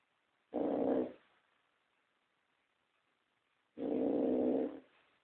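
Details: Toya, a pet pug, snoring in her sleep: two loud, rough, rasping snores, each about half a second to a second long, roughly three seconds apart, with near silence between breaths.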